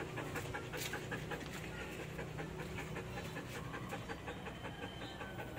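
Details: Belgian Malinois dog panting at feeding time after sit and stay commands: quick, breathy, even puffs of air repeated roughly two to three times a second, steady and soft throughout.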